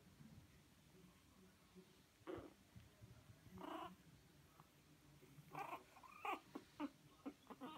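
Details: Three young Chihuahua puppies at a breeder in the Drôme, France, let out brief, thin squeaks, yelps and whimpers, some rising and falling like tiny mews, in irregular clusters over faint room noise; Chihuahua.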